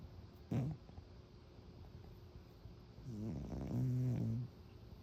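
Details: Domestic cat snoring loudly while asleep: a short snort near the start, then a longer low, rough, drawn-out breath with buzzy harmonics after a quiet pause; faint room hiss.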